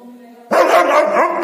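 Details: A dog (tagged Doberman) gives a loud, harsh, sustained bark after a brief quieter tonal moment.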